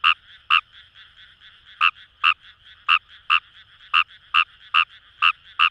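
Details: Fejervarya kawamurai, the Japanese rice frog, calling in paddy fields along the Kamo River in Itoshima, Fukuoka, Japan; loud short croaks in pairs and small groups, about eleven in under six seconds, over a faint background chorus.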